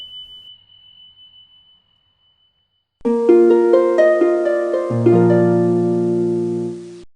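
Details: A faint steady high tone, a moment of silence, then plucked harp notes ringing out in a short musical phrase; no animal calls.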